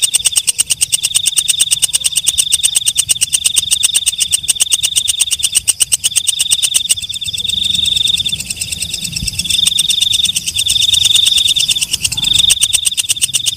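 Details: Katydid calling at night: a fast run of dry, evenly spaced ticks over a thin, steady high whine that breaks into separate stretches, with the loudness pulsing throughout.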